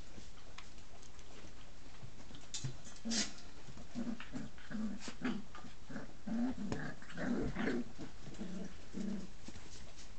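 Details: Brittany puppies playing, giving short low growling and whimpering grunts repeated roughly every half second to second, over steady background hiss with scuffling and tapping.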